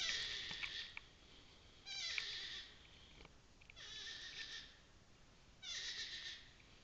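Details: Suspected abandoned bear cub at night near Porters Lake, June 2008, after a forest fire, about 20 feet inside the tree line and 15 feet up in hurricane blowdown, repeats high, nasal, wavering bawls, each under a second, roughly every two seconds.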